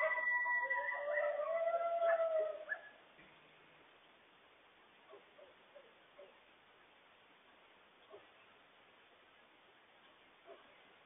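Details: A coyote howls in warning about a loose stray dog; a long wavering, sliding howl with rich overtones lasts about three seconds, followed by quiet with faint short barks from the distant dog every second or two.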